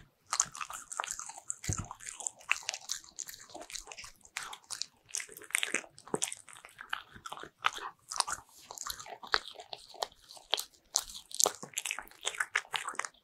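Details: Bichon Frise dogs eating butter-ring cookies indoors, a close mukbang-style recording of crisp crunching and biting, dense irregular crackles with brief pauses between bites, no other clear sounds.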